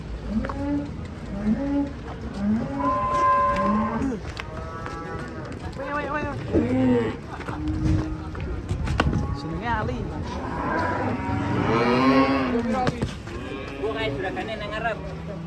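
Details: Several short, low moos repeated about once a second from cattle, followed by a longer louder bellow amid voices and background commotion.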